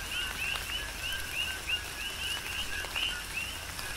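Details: On Hawaii's Big Island, coqui frogs call quickly through tropical rain, with crisp upswept chirps several times a second above a continuous lower note, several frogs overlapping, and raindrops pattering in the background.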